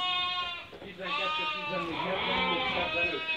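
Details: Merino sheep available for import from Hungary as a customer from Turkey makes a selection: drawn-out harmonic bleats from more than one sheep, starting after a brief dip, with people's voices mixed in.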